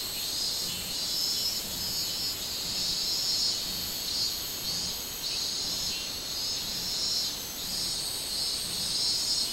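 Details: Summer call of the minmin cicada, 24 July 2016: an unbroken, piercing buzz rising and falling in rhythmic pulses roughly every half second, steady throughout.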